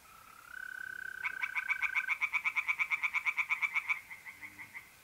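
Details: Night in mid-April at a pond in north-east Italy: a tree frog delivers a long run of about twenty rapid, rattling pulses lasting some three seconds, after and alongside a steady, buzzing mole cricket trill.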